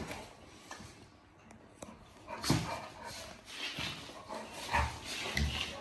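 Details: Cane Corso dog in a playful mood indoors, giving a few short, rough, broadband play noises at irregular intervals around midway and near the end, over low thumps and room noise.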